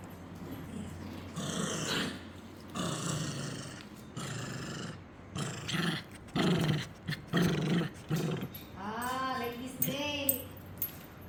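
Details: Shih Tzu puppies growling, rough breathy rumbles in short bursts separated by gaps, followed near the end by a thin, wavering whine that falls away.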